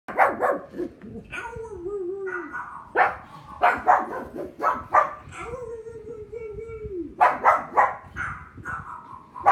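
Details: Pug named Thor barking at other dogs barking on television: sharp, short barks in quick bursts, with a long wavering whine-like tone running between them.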